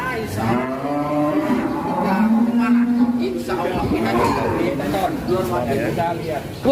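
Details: Huge rare cattle being led out of their pens, one lowing in a long, steady, harmonic moo for about two seconds, with men talking excitedly over and around it.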